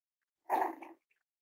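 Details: Cavalier King Charles Spaniel puppies playing with each other and exploring indoors during potty training; one short, rough growling yelp lasting about half a second, then silence.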